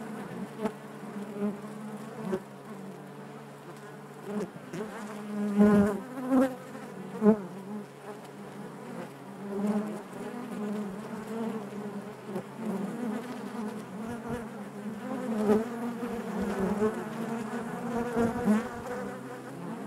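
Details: Honey bee colony humming within the hive, a constant low multi-toned drone lasting throughout, punctuated by sharper buzzes of bees flying close around six to seven seconds and again later.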